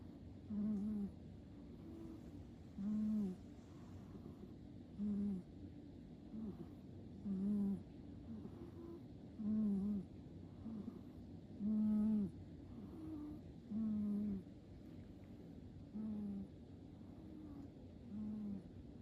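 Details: Cat named Fu-tan asleep and snoring: low, hoarse humming snores, each about half a second long, returning evenly about every two seconds, nine times, over a quiet background.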